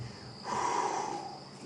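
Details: An African buffalo grazing about 3 ft away at night in Kruger Park, 14 March 2016, gives a soft, breathy exhale through its nose, a brief rushing puff of air, amid grass-tearing crunches.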